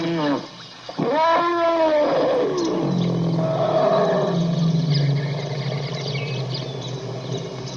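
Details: Elephant trumpeting: a loud, brassy blast that rises sharply, holds, then slides downward, trailing into a lower, rough rumbling roar that fades over several seconds.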